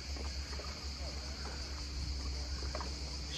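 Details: Cicadas on an island shore in the quiet, heard on a holiday walk: a steady, high, shimmering drone runs unbroken through the clip above a low rumble of sea waves, with faint scattered clicks.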